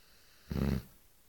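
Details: Eight-month-old female Cane Corso snoring like a lumberjack: a single brief, low rumbling snore with a rough, buzzy tone, lasting about a third of a second in an otherwise quiet room.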